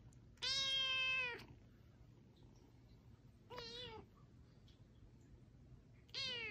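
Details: Kitten meowing three times with long gaps between: a loud sustained first meow, a shorter wavering second, and a third starting at the end, over faint background hum.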